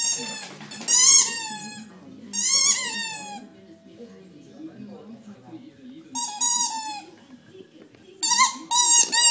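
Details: A 4-month-old Staffordshire Bull Terrier puppy at play gives high, drawn-out whines that bend in pitch, with soft voices behind.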